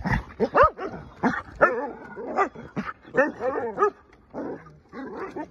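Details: Taiwan dog, also called Carolina dog or American dingo, voicing a run of short howling yips and whines, arched and rising-falling in pitch, in close bursts about every half second.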